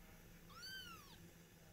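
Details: Domestic cat in a household with a mother cat and her kittens: a single clear meow, rising then falling, about half a second long, in a quiet indoor room.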